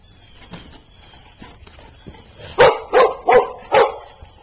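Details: At Oxford Pet Resort daycare, a golden retriever and a husky play after meeting that day; quiet murmur at first, then four strong barks about a third of a second apart.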